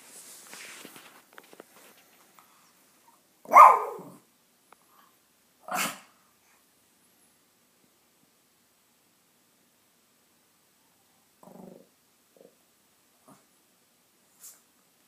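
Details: Ginger, a dog, gives one loud bark, then a softer second bark two seconds later, with faint shuffling and scattered quieter noises through a mostly silent room.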